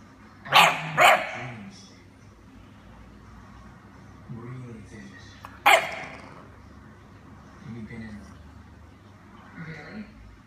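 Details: British Bulldog puppy confronting a lemon, giving two quick harsh bark-like bursts close together, then another sharp burst a few seconds later, with softer low grunting sounds and faint indoor background between them.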